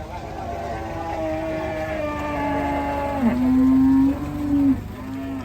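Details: Raging cattle from Indonesia, one long drawn-out moo with clear stacked harmonics, steady at first, then dipping sharply and swelling louder before fading, with low background rumble.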